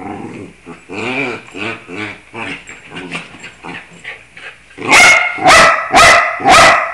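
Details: Bruno, a pet dog, sings along to musical scales: wavering, drawn-out howled tones rising and falling for several seconds, then four loud, bright, bark-like bursts in quick succession.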